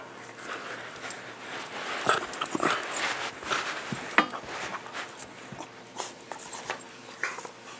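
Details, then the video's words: Max the miniature pinscher and Guinness, two household dogs, playing together inside; a run of scattered whimpers, yips and panting, irregular and fairly soft, with scuffling movement between calls. "Max & Guinness At Play"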